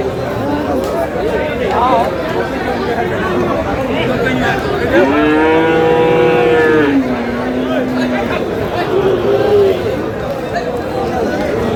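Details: Friesian bull calf, about four months old, at the Aftabganj cattle market in Dinajpur, Bangladesh, during buying and selling: one drawn-out, tonal moo near the middle, rising then falling, over steady crowd chatter and bargaining voices.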